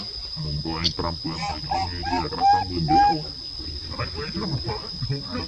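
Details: Young monkey Lucie calls out to her mother Luna with clear, thin whistled coos, two standing out mid-clip, mixed with softer harmonic cries beneath a constant high-pitched insect hum.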